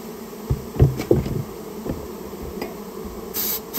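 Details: Japanese honey bee colony that nested inside a storehouse, heard during its removal: a steady low droning hum of many bees, broken by several sharp knocks and thuds from handling, with a brief hiss near the end.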